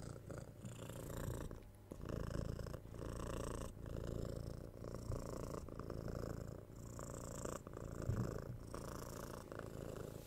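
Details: Six-month-old kitten Tora purring while cuddled and patted, recorded on a binaural 3DIO microphone indoors; a steady low rumbling purr broken by short breath pauses roughly every second, with soft rustling of handling above it.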